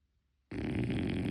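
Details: Sleeping French Bulldog puppy Motchi, unedited: a sudden onset of a harsh, rasping snore after a moment of silence, loud and rough throughout.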